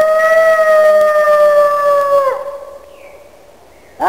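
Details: A wolf gives a loud, long, smooth howl that holds steady for two seconds and then slides downward. A softer higher voice follows briefly before a new howl starts at the very end.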